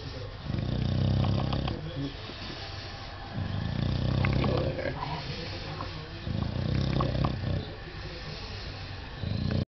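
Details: English Bulldog, a male pet, rumbling with pleasure during a belly scratch, described as almost like purring: deep, continuous snore-like grunts in long swelling bouts, pausing briefly every few seconds.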